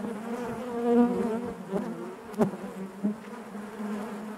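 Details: Honey bees buzzing inside their hive: a dense, steady drone of many wings with a low hum and layered overtones, swelling near the first second, with a few short clicks and knocks.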